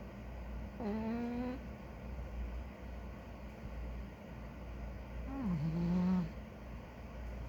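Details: Big ginger domestic cat snoring while asleep indoors: two drawn-out, whistly nasal snores, the second dipping then levelling off, separated by a few seconds of quiet room hum.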